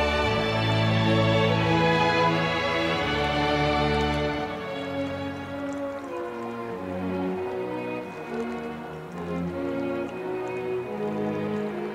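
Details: Orchestral music with strings and steady rhythmic chords plays throughout, and no animal voice can be heard.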